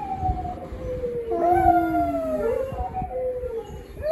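A dog howls in long, drawn-out tones that slide slowly downward, with a brief higher rise near the end.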